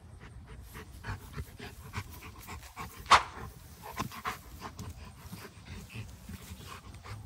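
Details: Male Cane Corso chewing and tearing apart a rope toy with his back teeth; irregular crunching and gnawing clicks with soft panting, one sharp louder snap near the middle.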